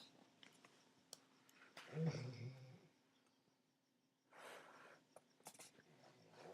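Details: Sparky, an old golden retriever, asleep indoors: one deep, rumbling snore lasting under a second, then a softer, breathy exhale a couple of seconds later, with faint clicks and room noise.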